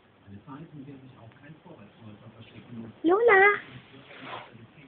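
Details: French bulldog sulking: after soft human talking, one loud wavering whine that rises, then falls, lasting about half a second, followed by a fainter breathy sound.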